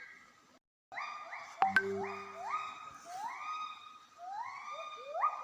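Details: A female Javan gibbon gives a series of rising, swooping hoots, repeated about every half second, in cold forest during a territorial conflict as her group meets a neighbouring group at their boundary.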